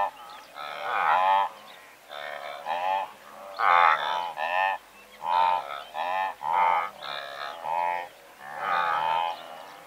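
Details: Several hundred blue wildebeest call together, recorded at medium-close distance: a steady stream of brief, buzzy nasal grunts, some paired, repeats through the clip with loud and soft voices overlapping.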